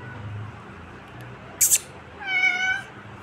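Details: Kitten mewing once, a short harmonic meow late in the recording, after a sharp hissy click; low room hum beneath.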